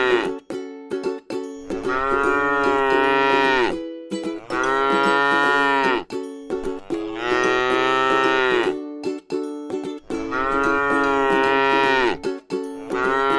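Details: A gentle cow lowing while it rests in a scenic rice paddy. Four sustained, harmonic moos of about two seconds each are spaced by short gaps, with faint steady tonal sounds resembling music running underneath.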